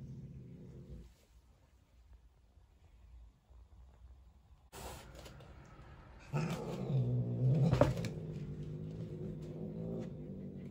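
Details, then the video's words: Angry female Turkish Van cat confronting her roommate: a brief low growl, a quiet gap, a sharp breathy hiss, then a loud, wavering, rumbling growl that swells and slowly eases. "Angry Turkish Van cat hissing and growling to her roommate"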